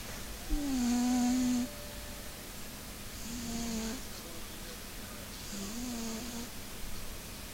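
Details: A Maine Coon cat snores in three slow cycles about two and a half seconds apart, each a low nasal drone with a slight whistling edge, followed by a soft breathy exhale.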